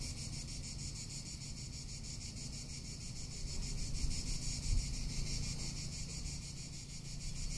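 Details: Tuscan summer cicada chorus: an unbroken high sizzling buzz beating in quick pulses, backed by low wind noise that swells slightly in the second half.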